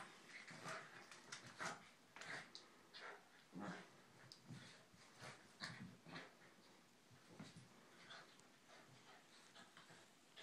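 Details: Corgi. Corgis trade short, raspy growls and snorting grumbles in irregular bursts, the noise of play fighting. Scuffling and panting fill the gaps in a small indoor room.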